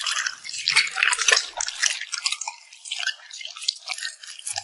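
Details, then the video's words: Puppy eating and smacking its lips, close up: quick irregular wet smacks, about two per second, crackling and drippy, rising and falling in bursts. "the sound of a cute puppy smacking its lips"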